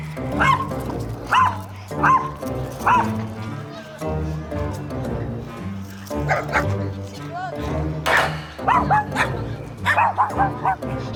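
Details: A small Maltese dog, a former rescue from Gwacheon adopted at about three years old, yaps loudly in sharp, high, repeated barks at another dog while excited on a walk, with music and talking behind.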